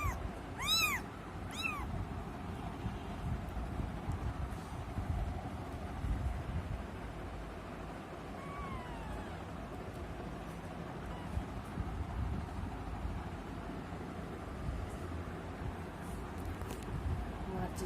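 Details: Kitten giving two clear arching meows in quick succession at the start and a softer, falling meow later, then only a low steady rumble of background noise.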